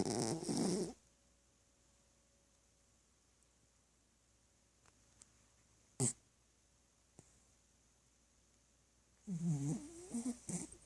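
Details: Pet dog asleep and snoring: two rasping, wavering snores about nine seconds apart, the second longer and stuttering, with a sharp click in the quiet between.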